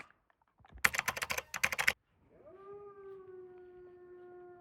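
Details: Wolfdog in a snowy enclosure at Wolfdog Forest, Hokkaido, Japan: a short burst of loud clattering noise, then a steady, level, low howl with rich overtones, held for about two seconds without rising or falling.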